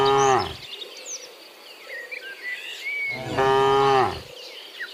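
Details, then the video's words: Cattle returning to the pen from the field in the morning: the tail of one moo, then after a pause of birdsong a second full, loud, resonant moo lasting about a second. "Sound of Moo Cows in the Morning, Returning from the Field to the Pen, Sound of Cows"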